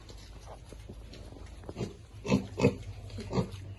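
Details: Baby pigs eating: a short run of three or four low, harmonic grunts close together near the end, after a quiet start.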